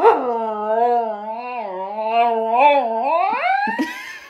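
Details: A dog from a funny-dog compilation gives one drawn-out, wavering howl. It dips and rises in pitch for about four seconds, then climbs upward at the end and cuts off with a short clatter.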